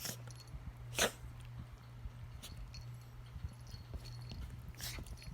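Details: Two Toy Poodles play-fighting without aggression, a 2-year-old white and a 10–11-year-old charcoal dog, sneezing to signal they are not attacking; sharp broadband sneeze bursts near one second and just before five seconds, with scuffling and snorts between.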